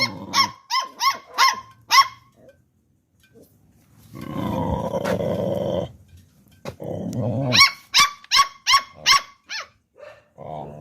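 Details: Two Pit Bull puppies barking toward people: rapid runs of high yaps, about five in two seconds, a rough growling stretch in between, then another burst of quick barks.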